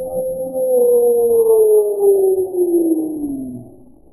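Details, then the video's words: Nittany, a pet cat that cannot meow and fears dogs, gives one long wavering wail that glides slowly downward for about three seconds, then fades; a faint steady high whine runs throughout. "a cat that makes weird noises"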